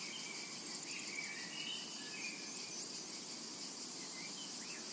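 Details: High, even cicada buzzing fills a summer meadow, joined by several soft, quick bird chirps in the background.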